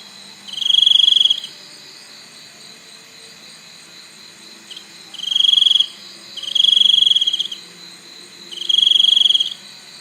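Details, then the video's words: Cricket giving four separate bursts of high, shrill chirping, each about a second long with irregular pauses between them, over a quiet, steady background hiss. "សំឡេងសត្វចង្រិត ។ Crickets sound"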